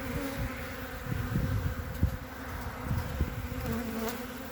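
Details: Wintering honey bee colony on three frames, 14 February 2021: a constant low hum from many bees, with soft scraping and a few light taps from handling the hive.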